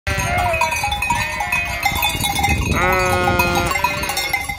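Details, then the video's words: Flock of sheep bleating near an empty hotel at Fürigen; overlapping harmonic bleats, one long wavering cry near the end, with constant metallic cowbell-like clanking throughout. "Blökende Schafherde"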